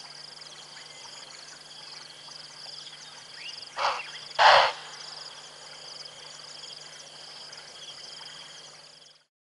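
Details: At Tembe, an impala gives two sharp, explosive snorting alarm calls at a lioness lying in the long grass at a pan, over a steady drone of insects.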